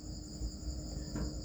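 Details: Crickets kept on a cricket farm, giving a steady high continuous trill heard as unbroken ringing tones, with a low hum and occasional soft thuds beneath.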